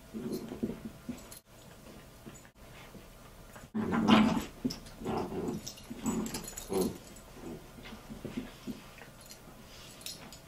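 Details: Bichon Frise dogs play fighting over a toy inside a room; repeated low throaty growls in short bursts, loudest around the middle, mixed with small whines and scuffling, then quieter grumbles toward the end.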